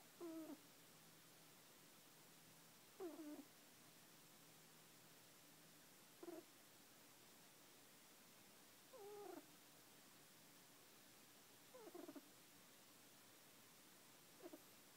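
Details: A sleeping chocolate Netherland Dwarf rabbit, a pet male, snores with short high squeaks, each a quick rising-falling chirp, recurring about every three seconds, six in all, over a steady faint indoor hum.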